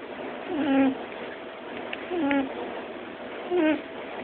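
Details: Pet rabbit snoring while sleeping comfortably: three short nasal whistling snores with a wavering, slightly falling tone, spaced about one and a half seconds apart, over steady faint hiss.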